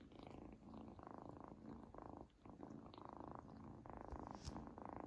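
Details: Kitten Izzy purrs while having her first treat, which she loves; the rumble comes in roughly one-second swells separated by short breaks, with small smacking and chewing noises mixed in.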